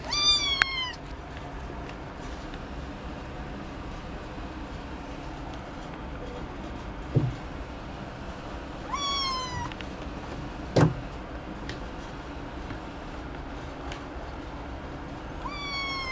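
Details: Ragdoll cat meowing three times over about sixteen seconds, each a short harmonic-rich meow with a slightly rising then falling tone, long quiet gaps between them, a couple of faint knocks in an otherwise still room.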